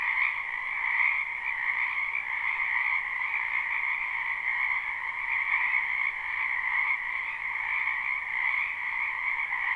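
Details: Many frogs calling together in a spring wetland, live recording with no looping: continuous shrill, buzzing chorus holding an even pitch and loudness throughout, layered calls blending into one ringing drone.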